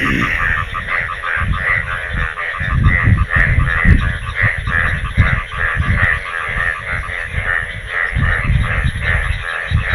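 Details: Monsoon frog chorus in rural Bangladesh, calling heavily once rainwater had pooled; rapid, rhythmic croaking notes stack into a continuous throbbing chorus, with strong low-pitched rumble and scattered clicks underneath.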